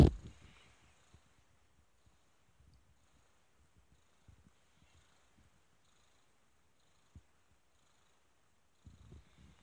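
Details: Kitten purring softly, a faint low rumbling pulse running through most of the recording after a brief louder rustle at the start, with a short louder thump near the end.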